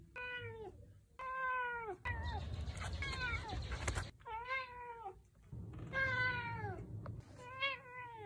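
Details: An elderly Ragdoll cat, a 14.5-year-old male, gives a string of clear, drawn-out meows, each bending down in pitch; he has meowed a lot since kittenhood.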